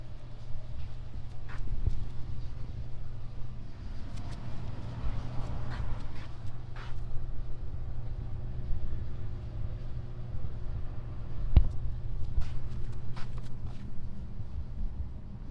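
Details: Petted on the back, a male cat keeps up a low, even purring drone, overlaid with soft rubbing sounds and a few light clicks.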